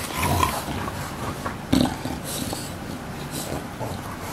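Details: Two young English Bulldogs, aged about one year, recorded on 20 November 2015; rough snorting, grunting breaths with a louder snort near the middle, amid household rustling.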